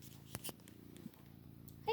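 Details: Male Maine Coon cat, said to purr very loudly, producing a low, even rumbling purr with rapid fine pulses, a couple of sharp clicks early on, and a woman's voice briefly at the end.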